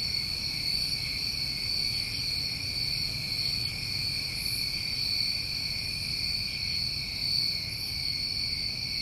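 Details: Summer night in New England filled by crickets, their continuous high trills stacked at several pitches, occasional short louder pulses on top, and a soft low-frequency hum in the background.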